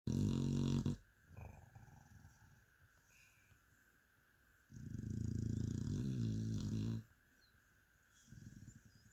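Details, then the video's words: Mia, a sleeping dog, snoring: low, throaty rumbling breaths in long buzzy bursts, a short one at the start, a louder two-second snore mid-way and a softer one near the end, quiet room in between. "Mia the amazing snoring dog."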